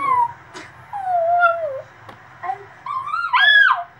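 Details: Male Cavalier King Charles Spaniel and Papillon mix dog trying to howl for the first time: thin, sliding whines near one pitch, a wavering falling note, then a rising and falling yelp-like howl at the end, with short clicks between.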